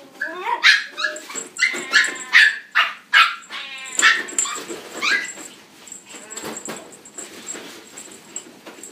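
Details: Black-and-tan male Miniature Pinscher, born June 2016, kept at a pet shop: a quick run of sharp, ringing barks for about five seconds, then quieter scattered yaps over a constant high-pitched background tone.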